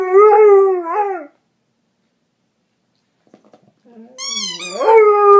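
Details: James, a pet dog, howls while chewing on a dog toy: a sustained, wavering tonal howl that dips at its end, a pause with faint soft noises, then a second rising, sliding howl that settles into a steady tone.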